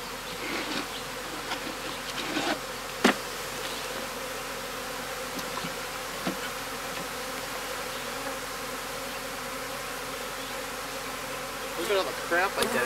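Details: Honey bees from a hive being rehomed in May 2016 at a small homestead apiary in the Cascade Mountains of the Pacific Northwest; a steady low droning hum with layered overtones, with scattered knocks and clicks from the hive equipment and brief sharper sounds near the end.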